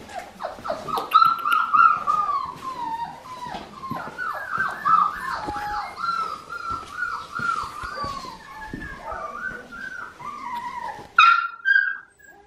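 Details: Four-week-old blue merle female Australian Shepherd puppy at Fifteen Acre Farms, Oklahoma, November 15, 2019; high thin whimpers, sliding and wavering tones repeated in quick succession, with some scuffling and a sharper cry near the end.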